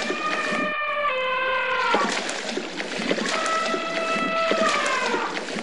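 An African elephant gives long, brassy, tonal blasts that hold steady and then sag slightly in pitch.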